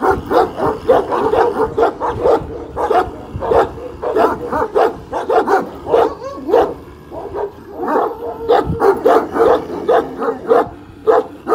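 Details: One-year-old Kangal named Pars at a Kangal dog farm, standing up to a giant dog; rapid, irregular volleys of deep, harsh barks, nearly two per second, some overlapping as if from more than one dog.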